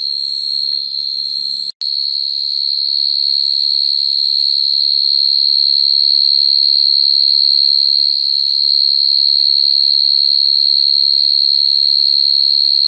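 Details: Field cricket calling females at night, recorded naturally as a lure for trapping crickets. A high, steady ringing trill with rapid fine pulsing, cut by one sharp brief break early on, then continuing unbroken and slightly louder.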